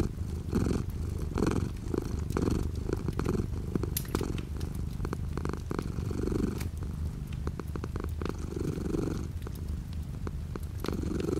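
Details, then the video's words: Close, rumbling cat purr in rhythmic inhale-exhale pulses roughly every second, with light rain pattering outside the window as sharp little taps behind the low drone. "The sound of a cat purring with light rain outside the window."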